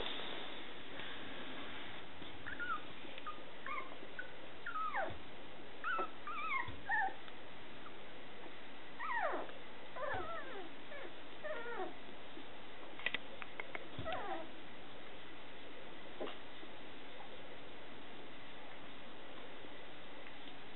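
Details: Newborn Scottish Terrier pups, Etna's babies, whimpering in repeated short high squeals, many with a sliding downward pitch, coming in irregular clusters across twenty seconds against constant low hiss.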